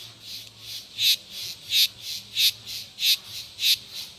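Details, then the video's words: Rhythmic cicada singing: harsh, high, buzzy bursts repeat about every two-thirds of a second, each swelling and fading quickly, with a constant high hiss between them. "O canto das cigarras"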